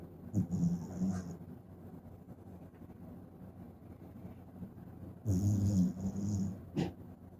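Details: Sleeping Shiba Inu puppy named Tsukune, who often snores like an old man: two low, rasping snore bursts with a hissy edge, the first near the start and the second about five seconds later, with a quiet indoor hum between them.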